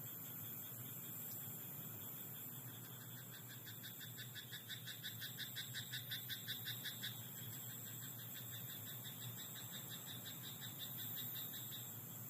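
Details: Frog in a rice paddy at night giving a burst of rapid, evenly spaced rattling croaks that swells in the middle seconds and then fades. A steady high whine and a low rumble continue underneath.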